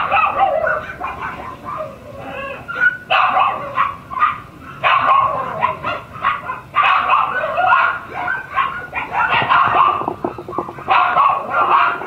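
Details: Shiba Inu puppy siblings expected to reach mame-shiba size; loud, continuous overlapping yips and high barks from several puppies, with brief dips between noisy bursts.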